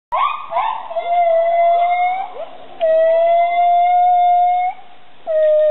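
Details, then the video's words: Two female gibbons at the Kalaweit rescue programme in Indonesia (Borneo and Sumatra) sing clear, hooting notes, with quick rising whoops over long, steady, pure-toned calls. "Gibbons singing"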